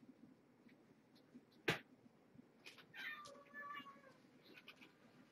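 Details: Indoors at evening feeding time with a rescued mother cat and her kittens: after a sharp knock, a single falling, whiny meow stretches about a second, followed by faint rustling.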